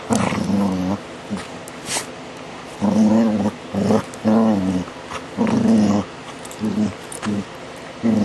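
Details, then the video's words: DaVinci the dog makes funny sounds, recorded July 2011: a series of voiced, grumbling growls in bursts of about half a second to a second, separated by short pauses, with faint background hiss. "DaVinci's funny sounds"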